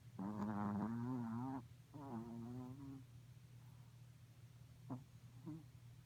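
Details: Morkie pup asleep and dreaming: a drawn-out, wavering whimper that rises and falls for over a second, then a shorter quavering moan, followed by two small snuffles, over a constant low electrical hum.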